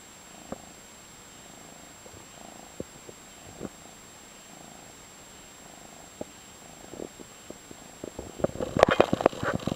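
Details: Five-month-old orange tabby male cat in a foster home in San Carlos, California, purring softly with low pulsing rhythm across several seconds, interrupted by sharp clicks and handling noises that grow busier toward the end.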